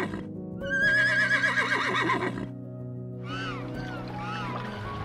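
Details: Horse neighing: one strong, shaky whinny lasting nearly two seconds, then a softer second whinny with bending, wavering tones. Sustained background music plays throughout.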